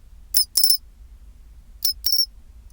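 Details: Pine cricket's chinchirorin song at 24 °C, two high glassy phrases about one and a half seconds apart, each a short tick then a longer tinkling, slightly falling trill, with faint low hum behind.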